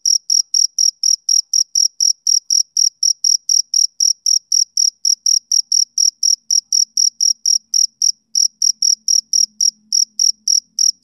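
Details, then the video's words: Male cricket in a summer evening chorus-like rhythm: sharp, high chirps about four per second, very regular, with a faint low hum creeping in toward the end. "Cricket Chirping Sound Effect"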